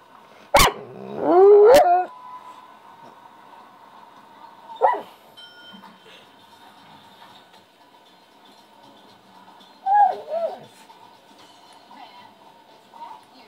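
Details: A pet Pit Bull making funny noises: a loud, rising, whiny yelp-like vocalisation near the start, a short squeak around five seconds and another wavering whine near ten seconds, over a quiet indoor background.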